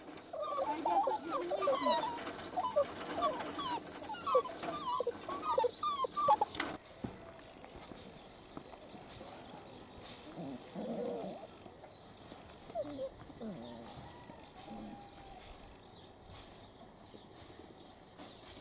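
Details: Seven-week-old Italian Greyhound puppies from a first litter, playing outside in their enclosure: a dense chorus of high, squeaky yips and whines fills the first seven seconds, followed by quieter, scattered whimpers.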